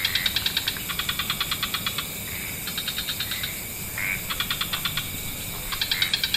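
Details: Evening wetland frog chorus of many species: quick rattling pulse series repeated in short bursts, broken by brief upswept chirps, with a constant high background hiss throughout.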